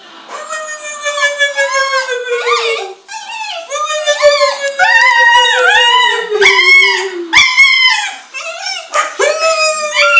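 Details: Ona, a pet dog, crying along with her owner indoors: long, slowly falling howled tones overlap with shorter arched, wavering cries, rising and dipping in quick succession for the whole stretch, with a brief pause near three seconds.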